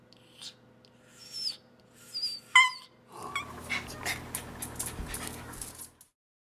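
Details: An Alaskan Klee Kai gives high, wavering whines and yips, excited at midnight for a snack of freshly cooked beef liver.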